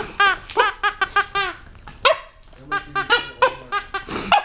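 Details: Rocky, a seven-month-old Chihuahua and Cocker Spaniel mix weighing 12 lbs, barks at his new toy, scared of it: a fast run of sharp, high yaps, then a short pause and another burst of rapid barks indoors.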